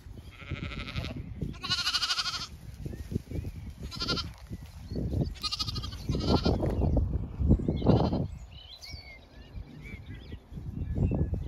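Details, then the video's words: Zwartbles ewes and lambs out in the sun in a field in County Kilkenny, Ireland, on a regenerative farm; several loud wavering bleats in the first half, wind rumble throughout, faint birdsong near the end. "A walk through the field of ewes & lambs"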